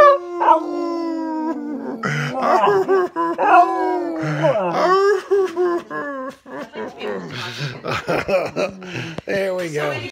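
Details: Singing dog opening with a long, level howl, then breaking into choppy, rough yelps and wavering short notes with uneven pauses.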